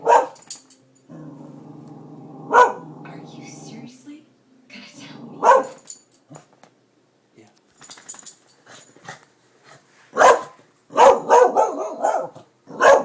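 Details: Darby, a pet dog excited by construction workers at new buildings, gives loud sharp barks between stretches of low rumbling growl, with a person talking to the dog in between.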